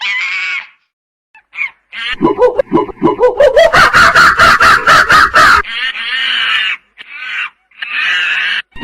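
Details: Screaming monkey playing in natural habitat: shrill wavering cries, then a rapid rising series of harsh pulsed notes building in intensity, followed by more long harmonic screams.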